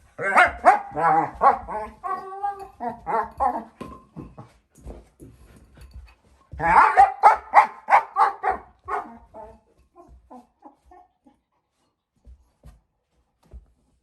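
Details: Playful four-month-old German Shepherd girl puppy with her bowl: two bursts of rapid, yappy, harmonic grumbling noises, the second tapering off into faint scattered sounds and silence.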